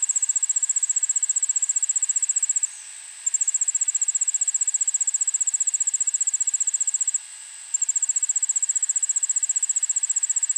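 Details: Allard's ground cricket song from a suburban backyard, Montoursville, PA, early afternoon, 9 August 2016: rapid, high-pitched ticking trill that runs continuously, halting twice for about half a second before resuming at the same rate.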